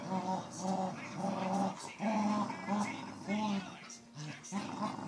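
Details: Two Cocker Spaniels playing tug of war give low, rumbling growls and whines in quick, uneven bursts.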